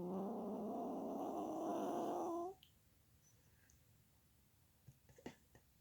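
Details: Molly Marie, a sleeping Chihuahua, gives one long, droning, whistle-like snore of about two and a half seconds with a faintly wavering pitch. It is followed by a quiet room with a few small clicks.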